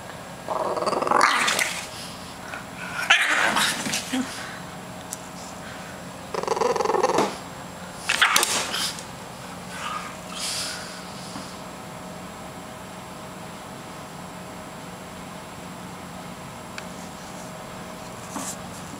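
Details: Ruby, a French Bulldog acting silly in a chair, lets out several short, rough grumbling vocal bursts in the first nine seconds, then goes mostly quiet with faint room noise.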